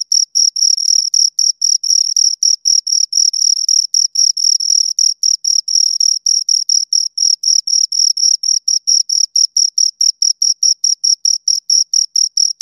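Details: A pair of crickets producing continuous shrill chirps, tightly spaced pulses repeating roughly four times a second at a steady high pitch, each burst sharp and even, with nothing else audible behind them.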